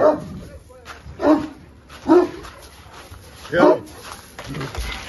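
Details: Central Asian Shepherd Dog charging a fence, four heavy barks spaced one to one and a half seconds apart, with a man talking to the dog between and over them.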